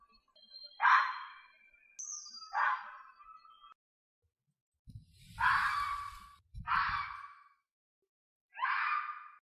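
A fox gives harsh, hoarse screaming calls, each under a second, at uneven intervals.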